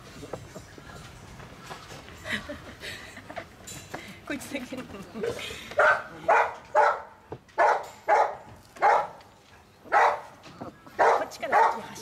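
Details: German Shepherd Dog puppies, a litter of five: soft scattered squeaks at first, then high sharp yips repeated roughly once a second, with faint background chatter.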